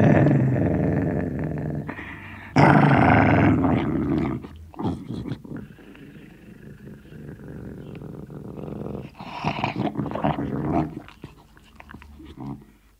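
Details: Sealyham Terrier growling over a bone indoors: loud rasping growls at first, then a long quieter stretch of low rumbling and small grumbles, ending with another harsh snarl burst that fades out.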